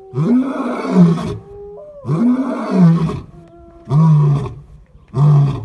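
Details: White lion roaring: four deep, groaning roar-grunts, the first two long and swelling, the last two shorter, with a faint thin tonal whine heard between them.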